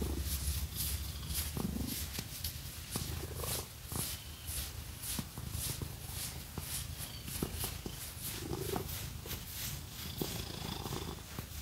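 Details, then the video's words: Domestic cat purring steadily while being scratched with fake nails; low rumbling purr underneath constant scratchy brushing strokes and soft taps. "Scratchy Cat Massage | 🐈 Lots of Purring"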